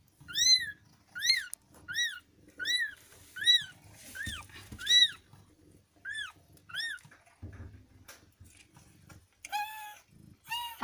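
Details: Newborn kittens, part of a litter of five born to a rescued street cat in India, give a run of short high arched mews in quick succession, then a few longer wavering cries, with soft handling noises between.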